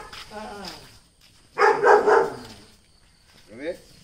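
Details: A Dachshund, called a fearless dog out to show a little toughness, gives a short burst of two or three harsh, rough barks in quick succession, with Malayalam speech before and a brief voice after.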